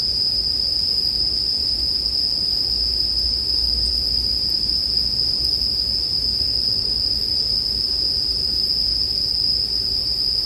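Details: Bell crickets sing in an unbroken, high, ringing chorus pitched near the top of hearing. A soft low rumble sits underneath, mixed into a sleep-music track with campfire sounds.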